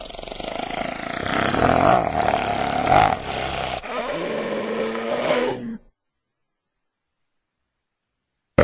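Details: A striped hyena (Hyaena hyaena) gives rough, rasping growls with a steady moaning tone, then falls silent.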